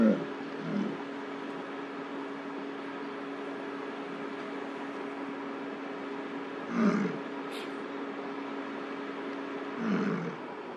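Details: Male American bison in rut bellowing beside a road in Lamar Valley, Yellowstone National Park, in summer, vying for a female's attention during a bison jam. Three deep, rough bellows over a steady idling car engine hum.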